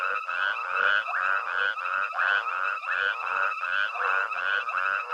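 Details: At night at Hwange Safari Lodge, Africa, a dense frog chorus of overlapping nasal, buzzy croaks pulses steadily a few times each second while a herd of elephants with a tiny calf forages.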